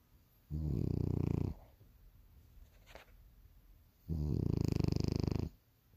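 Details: A sleeping bulldog snores through its morning rest: two long, low, vibrating rasps, each about a second or more, spaced roughly three and a half seconds apart with soft breathing between.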